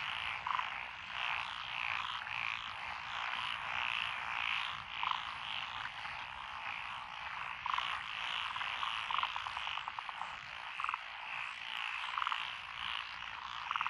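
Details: Frog chorus along a rural road through lotus rice paddies in Echizen, Fukui, Japan, recorded 12 June 2021; many overlapping frogs make a dense pulsing croaking wall with scattered brighter trilled notes throughout.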